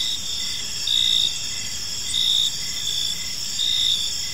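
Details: Park crickets at evening: a constant high shrill buzz with a louder chirp burst swelling in about every 1.4 seconds, three bursts in all, against low, faint background rumble.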